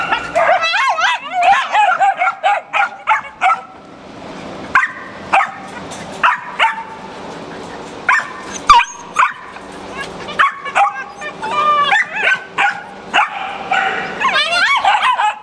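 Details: Several dogs at a Jackson, Tennessee rabies control shelter, among them a German Shepherd, Wiener Dogs, a Walker Coonhound and puppies, bark and yip in dense overlapping bursts, with whimpers and occasional human speech mixed in.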